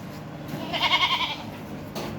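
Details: A castrated male goat bought for a young daughter's aqiqah gives one short, wavering, nasal bleat of about half a second over quiet background noise, followed by a faint click.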